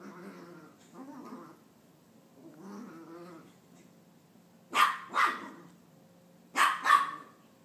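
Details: Female Maltese puppy around nine months old, frantic after a bath and attacking her own tail. Low growly mutters come first, followed by two pairs of loud, sharp, high barks in quick succession.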